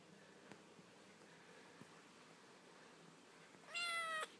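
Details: Young blue Burmese kitten indoors during an evening burst of wild running around the lounge, a single clear rising-then-flat meow near the end, quiet room before it.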